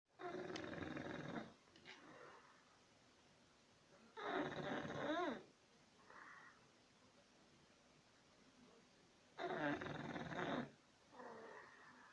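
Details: English Bulldog named Chulo, asleep indoors, snoring like a human: loud rasping, harmonic-rich inhalations about 1.2 seconds long roughly every five seconds, each followed by a softer short exhale snort.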